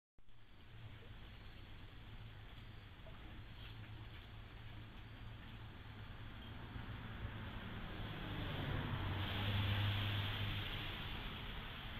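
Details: Low outdoor rumble with a droning engine-like hum, swelling louder near the end, and no animal calls.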